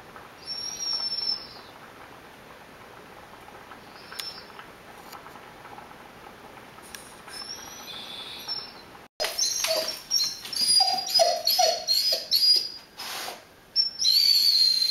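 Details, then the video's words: Rhodesian Ridgeback, a male pet dog, in whine mode as ground beef cooks: soft high whines early, then after a break a louder run of quick squeaky, pitch-sliding whines with crackling noise. "Whine for Ground Beef"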